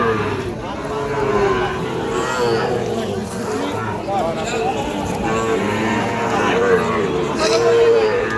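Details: At a market, Sahiwal calves offered for sale let out long, even, low moos, the clearest near the end, over continuous bargaining voices and background crowd noise.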